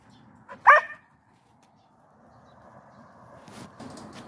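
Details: A Border Collie left behind while its partner is out on a separate walk gives one short, loud, high-pitched yelping whine under half a second, then only faint room noise.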